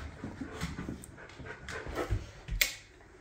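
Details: Female Boxer Layla mid-tantrum indoors, upset at not getting her way: rapid huffing pants and grumbling whimpers in irregular bursts, ending with a sharp snort-like outburst then quiet.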